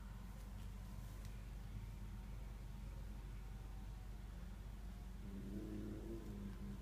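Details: Tiki, a Korat cat, growls low in the throat at a stray cat creeping into the garden. A steady, rumbling purr-like snarl runs throughout, resembling a motorcycle engine idling, and swells slightly near the end.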